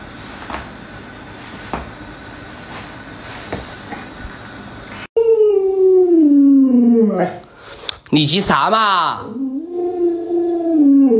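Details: Alaskan Malamute named Luoluo, a pet dog indoors, calling out to wake its owner who won't get out of bed; after a noisy start comes a long sustained howling tone sliding downward, then wavering, rising and falling woo-like vocalizing.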